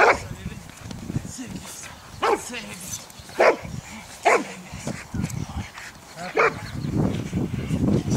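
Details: Boxers from a Boxer Club training at a canine education centre in St Georges d'Orques, France, for character tests (APE and Selection) at a regional breed show; short sharp barks burst out irregularly, one to two seconds apart, under human voices and wind.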